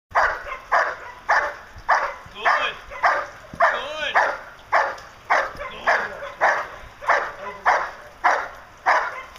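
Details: Diesel vom Darland Haus, a 16-month-old male German Shepherd Dog in Schutzhund protection training, barks in loud, sharp bursts repeated nearly twice a second at a steady rhythm, with a human voice faintly underneath.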